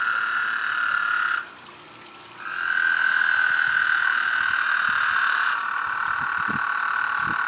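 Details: Loud trilling of toads mating in a backyard pond where eight gather: a sustained buzzy trill, a one-second break, then a longer overlapping trill lasting about three seconds, with faint splashing near the end.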